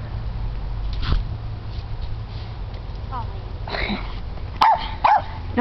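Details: A pet dog plays in the snow, obsessed with snowballs. Two short, sharp barks come close together near the end, over a steady low rumble and some Spanish speech.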